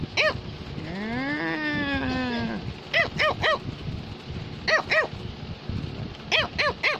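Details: Cavalier King Charles Spaniel, a toy spaniel breed, wanting its owner's attention: a drawn-out rising and falling whine lasting about two seconds, then clusters of short, sharp barks in twos and threes, with quiet music behind.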